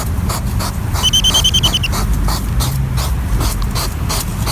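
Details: On a summer night in a garden, a European hedgehog (Erinaceus europaeus) sniffs in quick, repeated, breathy, almost mechanical bursts, with a brief high trill and a low rumble behind.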